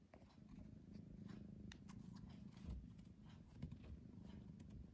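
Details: Pet cat drifting between sleeping and playing gives a soft, low, rhythmic purr, rolling steadily with gentle rises and falls over a few seconds, with light clicks in the background.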